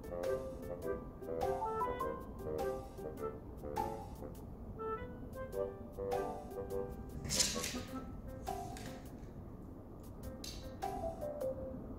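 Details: Light, playful melody on a plinking keyboard instrument, with a few sharp clicks and a short burst of noise midway.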